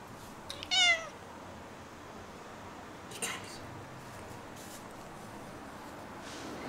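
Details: Domestic cat giving a short good-morning meow from her comfortable chair indoors: one brief, bright, slightly falling mew near the start, then a quiet room with faint rustles and a soft click.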